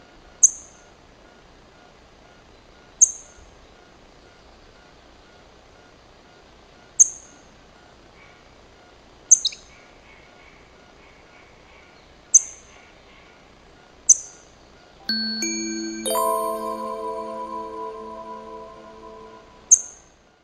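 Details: Talkative chipmunk at the First Pillar, repeating short, piercing, downward-sliding chips every two to four seconds. Near the end a loud, steady, buzzy harmonic tone of another kind sounds for about five seconds, then a final chip.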